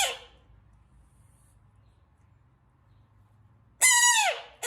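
A frog gives a sudden, shrill squeal that drops slightly in pitch before cutting off.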